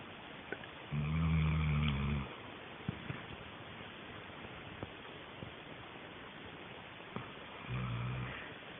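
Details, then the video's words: Sheila, a dog, snores while asleep: a loud, deep rasping snore early on, a quiet gap with small clicks, then a softer low snore near the end. "Sheila schnarcht"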